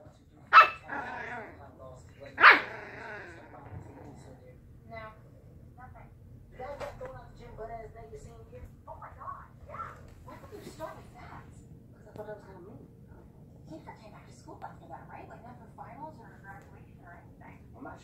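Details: Puppies arguing: two loud sharp barks at the start, then a run of softer yips, whines and small growly yelps repeated irregularly through the rest, with faint speech in the background.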